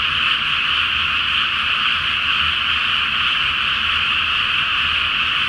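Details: Flooded pre-planting rice field at night with a full flower moon overhead, frogs in a large chorus; thick, continuous trilling croaks from many callers, level and unbroken, with a faint low rumble beneath.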